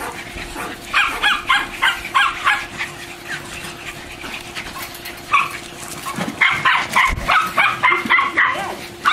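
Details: Two German Shorthaired Pointers frolicking, diving, swimming and wrestling in and around a pool; rapid runs of short, high, whining yips in quick bursts, with a pause midway, over a steady low mechanical hum.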